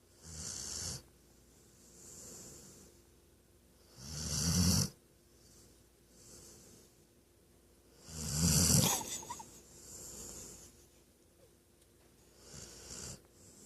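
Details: Napping female Weimaraner snoring loudly, heavy rasping inhalations roughly every four seconds, each a low rumbling snore topped with airy hiss, softer breaths in between; indoors and otherwise quiet.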